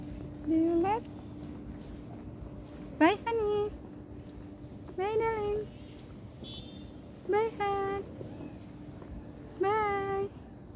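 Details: Cat crying at separation from its owner, giving five drawn-out meows roughly every two to two and a half seconds, each rising sharply then holding a level, slightly wavering tone, over a low steady background hum.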